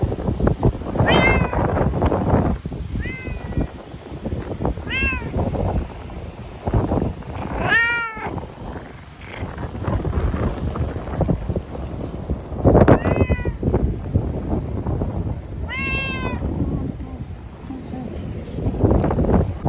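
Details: Timid ear-tipped stray cat Chanta crying while confined in a bathroom for shelter from Typhoon No. 10, Okinawa, September 2020; repeated drawn-out wailing meows, some sharply rising, spaced a few seconds apart amid constant thumping and low rumble.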